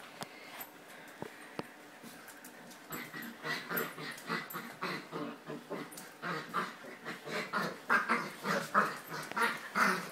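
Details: Puppy in its first rough play with other dogs at a cage-free home dog-sitting stay in Jerusalem; quiet at first, then a long run of short yelping whimpers and growly yips, several per second, rising in loudness toward the end.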